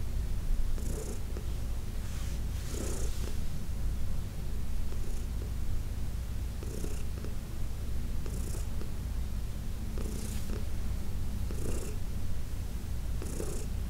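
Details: Massaged senior cat Heidi, adopted from the Humane Society of New York City, keeps up a long rumbling purr throughout, punctuated by soft rhythmic swishing bursts every second or two.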